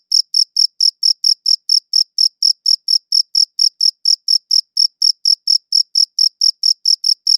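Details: Crickets, recorded on a good audio recorder, produce a steady series of bright, high pulses, about four per second with small gaps between them, and nothing else audible.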